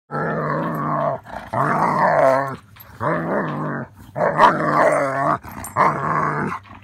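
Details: German Shepherd growling while playing with another dog: five drawn-out, rough, harmonically rich bursts of about a second each, wavering in pitch, separated by short pauses.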